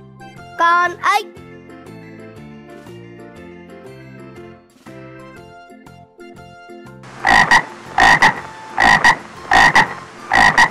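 A frog gives loud, rasping croaks in a steady series after a spoken word over music.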